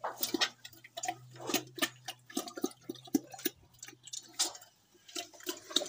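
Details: Pig eating at a village pig farm in Assam: irregular wet smacking and crunching clicks, bursts of several bites then short pauses, over a steady low hum that stops after about four seconds.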